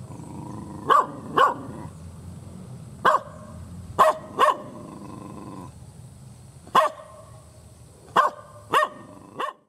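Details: Village dog barking hard and angrily, loud enough to frighten: nine harsh barks in irregular pairs and singles across the stretch, separated by short pauses, over a low steady background hum.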